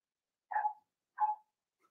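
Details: In a home puppy pen, four-week-old Cavalier King Charles Spaniel puppies meet other dogs and try puppy mash; two soft, short whiny yelps about three quarters of a second apart in a quiet indoor space.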